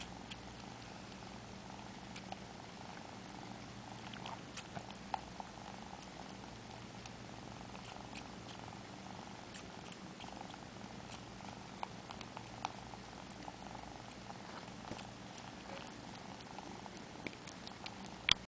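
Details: Sleepy four-month-old male Siamese kitten purring while sucking fingers: a long, unbroken low rumble with scattered light sucking clicks and ticks throughout.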